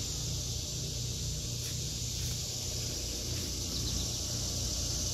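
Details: High, steady cicada buzzing in an August 2023 vegetable garden, with a few faint brief higher chirps over it and a noticeable low rumble underneath.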